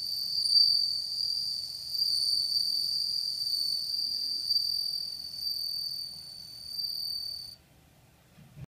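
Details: Bell cricket (Meloimorpha japonica) song, recorded 4 August 2014: a high, pure, continuous ringing trill that stops abruptly near the end.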